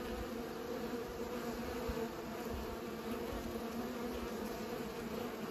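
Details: Bees pollinating, giving a steady, even hum with a low fundamental and a clear overtone above it, unbroken for the whole stretch, with soft low rumbles of wind or handling underneath.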